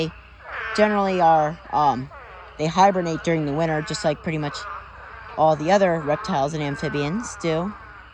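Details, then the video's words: Chorus from a spadefoot toad mating swarm in a pond crowded with thousands of toads: sheep-like bleats, some rising then falling, come in bursts of several overlapping callers separated by brief quieter gaps. "Huge Spadefoot Toad Mating Swarm Pond Full of Thousands of Toads"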